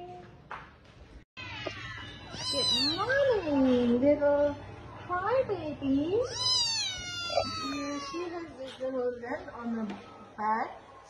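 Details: Cats and kittens meowing, several drawn-out rising and falling meows overlapping with a person talking and a low steady hum underneath.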